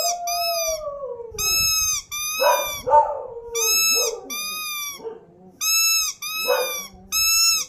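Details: Dog howls: a lower drawn-out tone sliding downward at the start, then repeated high, steady whining notes interrupted by rough, lower barking and yelping sounds, with several voices overlapping.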